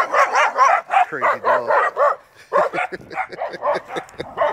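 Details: An excitable little female dog, said to bark at anyone passing, yaps in quick runs of high, harsh barks with a short growly break, then keeps barking in an uneven rhythm.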